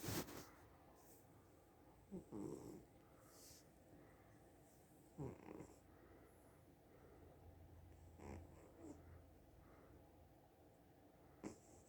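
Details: Sophie, a domestic cat, asleep and snoring quietly. Soft raspy breaths come every few seconds, some barely above the hushed background, with a brief low hum in the middle.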